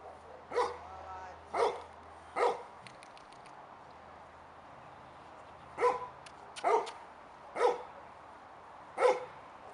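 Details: Depesh, a five-month-old male Labrador Retriever puppy, barks while waiting for his owners to return: three sharp, separate barks about a second apart, a pause, then four more at the end, over a faint low hum.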